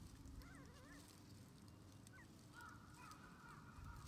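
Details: Male red Shiba Inu puppy, born 24 January 2021 and 21 days old, an only pup on its first day getting used to outdoor play with its mother; faint wavering whines rise and fall, then a steadier drawn-out whimper over a low background rumble.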